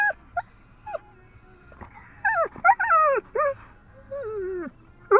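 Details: Female dog, far too excited about going to the dog park, gives short high yips and whimpers, some sliding downward, in quick uneven bursts with quiet gaps between them.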